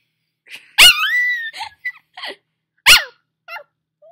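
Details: Squeaky puppy howl indoors by a fireplace, just after waking, sung along to its owner's singing: sharp onset, then a high wavering tone sliding downward, followed by short squeaks and a second brief yelp-like howl.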